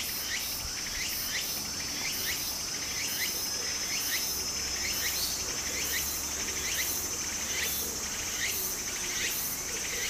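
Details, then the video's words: Summer cicada chorus by a small stream in Japan: a steady shrill high tone under rapid buzzy pulses that repeat roughly once a second, over a faint wash of running water. "小川の流れと蝉の声 自然音 ～夏～ Japan Sound of nature Cicada's voice"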